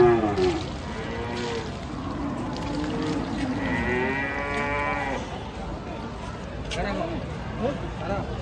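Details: Raging bull being bathed to calm him after coming off a truck. He moos deeply several times, with a long, steady, drawn-out bellow in the middle. Splashing water and people's voices fill the background.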